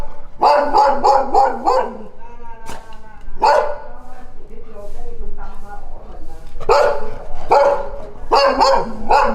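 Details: Dogs barking in bursts: a rapid volley of barks, scattered single barks with faint whining tones between, then another fast volley at the end.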